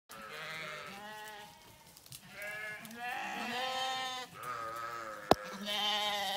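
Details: Several sheep bleating in overlapping, wavering calls with rich harmonics, one voice fading into the next, plus a sharp click near the end.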